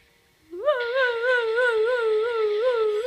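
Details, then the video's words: Irish Wolfhound howling indoors after hearing a recording of its own howl; one sustained, tonal, wavering howl that rises at the start and then holds a steady pitch with gentle undulations. "Irish wolfhound howling"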